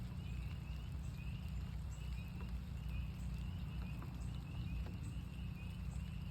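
High, clear peeps rise sharply at the end and repeat again and again, as spring peepers call from the chorus. Heavy rain fills the background with a low, steady roar.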